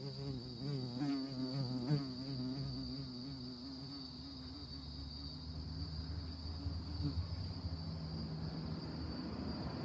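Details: Buzzing honey bee at orchid flowers, a wavering hum for about seven seconds that then fades into low rumbling background noise.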